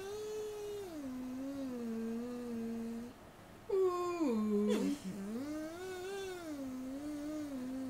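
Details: Jake, a purple-eared standard poodle service dog, sings to greet the day: a long, wavering tonal howl that dips and rises, breaks into a sharper bent cry midway, then settles into a smooth sliding hum.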